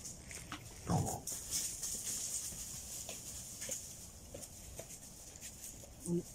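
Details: A few wild boars in a forest give low, rough grunts while asking for food, with people talking nearby.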